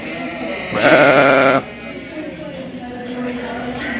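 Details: Sheep at the Royal Winter Fair 2023 in Toronto, Ontario, Canada, giving a single loud, quavering bleat lasting under a second, followed by a low murmur of voices and hall noise.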